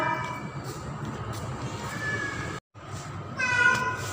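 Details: Female domestic cat named Pretty, in heat during mating season, calling for a male: drawn-out, wavering yowls with rich harmonics, one near the two-second mark and a louder, longer wail near the end, over a steady low background hum.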